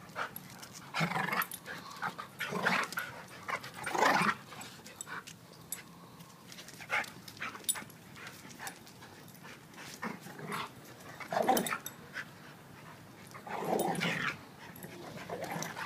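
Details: A 7-year-old blue/red pitbull and a 7-month-old German Shepherd wrestle in play, giving spaced harsh growling bursts and short yelps every one to two seconds, with quieter panting-like noise between.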